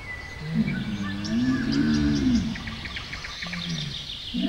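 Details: Deep rumbling camel groan that swells and arches in the middle, then fades into a softer low moan, while birds chirp repeatedly in the background.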